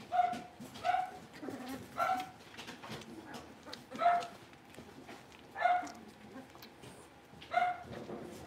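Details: Blenheim Cavalier King Charles Spaniel puppies, a litter of five born on New Year's, in their puppy pen; short tonal yelps or whimpers repeat roughly every one to two seconds over a low room hum.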